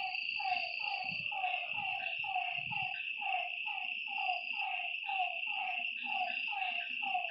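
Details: Frogs calling at night beside a lake: a dense chorus of short, downward-sliding croaky notes, about two to three a second. A steady, high insect drone runs underneath, with a few soft low thumps.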